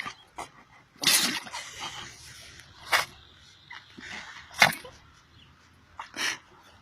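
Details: Seven-year-old pug sneezing after playing in the sun with its owners; several short, sharp broadband bursts spaced irregularly over about seven seconds, with faint snuffling between them.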